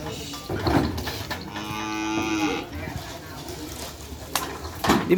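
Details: Cattle at a bull race with paired bulls; one sustained lowing moo lasting about a second sits amid crowd chatter, knocks and background music.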